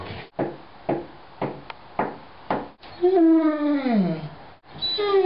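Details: Mango, a seven-year-old, 205-pound pet mastiff, making his wookie sounds: several short breathy huffs, then a long drawn-out harmonic groan sliding downward over about a second and a half, and a fresh moan beginning at the end.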